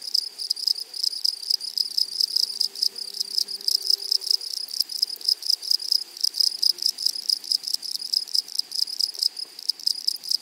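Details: In a flowery meadow, grasshoppers keep up a loud, continuous high-pitched rasp of fast regular pulses, with overlapping rhythmic bursts. A soft low hum around the fourth second lies beneath the insect chorus.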